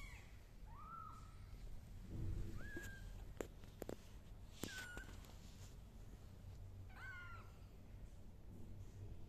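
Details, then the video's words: Kittens crawling on a carpet indoors make thin, high, short meows, four brief calls spread across the stretch, set against steady hiss and a few sharp clicks. "The kittens crawling on the carpet and meowing are so cute"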